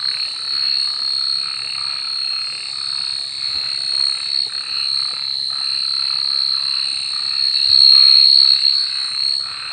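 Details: Frogs calling at night, faint pulsed croaks repeating steadily beneath a loud, unbroken high-pitched insect drone that dominates the night background.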